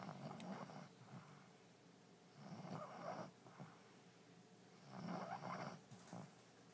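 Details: Allie, a French Bulldog sound asleep in her new bed, gives low, raspy snores in three bursts a couple of seconds apart, soft room hiss beneath.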